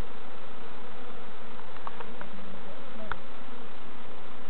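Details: Steady, even drone of a honey bee colony while novices check hives at Summerwood Lane Allotments and Community Garden, with a few faint knocks and clicks from handling the hive.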